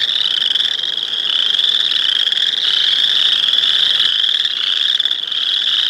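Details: A dense chorus of boreal chorus frogs, their high creaking trills merging into one continuous pulsing drone.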